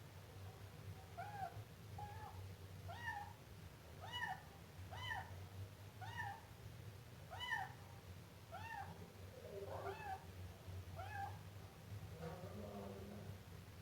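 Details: Siamese kitten calling insistently, about a dozen quick arched mews in steady succession, the last few wavering and rougher, with a persistent low hum behind.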